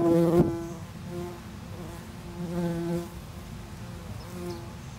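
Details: Tree bumblebee nest humming in short, uneven bursts of buzzing that fade and return every second or so, opening with a sharp knock or crackle.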